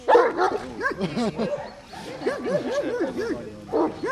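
A Komondor gives a rapid run of high, yelping barks with a person's voice in the background.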